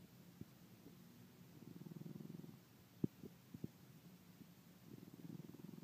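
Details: Brixton the dog snoring, a snore said to grow louder week by week; soft low rattling breaths swell and fade, broken by a few brief clicks midway.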